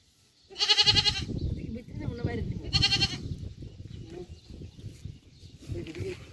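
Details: Goats on a farm in the Qatar desert: two short, harsh, nasal bleats a couple of seconds apart over a steady low rumble and indistinct voices.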